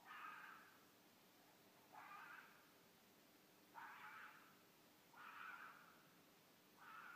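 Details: A mated pair of red foxes gives mating calls in the middle of the night in Midhurst, England: hoarse, raspy screams about half a second long, repeated every second or two, over faint background hiss.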